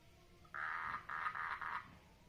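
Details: Mating frog in a water lily pond giving a loud rasping croak broken into four joined pulses over about one and a half seconds, against a low steady background hum.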